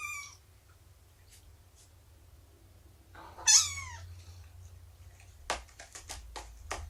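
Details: Domestic cat indoors during a morning nursing and play session with Shelby, an abandoned mother cat of about two years, and her three-month-old kittens; one clear, arched, falling meow mid-clip, with light clicks and tapping sounds afterwards.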